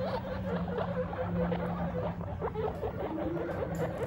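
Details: Guinea pig father meeting his babies for the first time, giving short squeaky chirps in a steady repeated series over a low constant hum.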